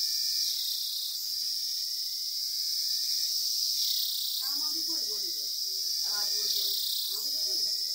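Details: Cicada calling: a steady, dense, high-pitched shrill buzz runs unbroken through the whole recording, with slight swells in intensity, while quiet human voices murmur briefly in the second half.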